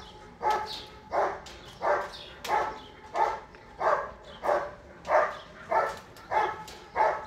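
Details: German Shepherd Bandit vom Haus Kogor at an IGP-1 qualification trial during the 2022 Russian Championship, protection section C scored 90 points; about eleven loud, deep barks in a steady rhythm, roughly one every two-thirds of a second.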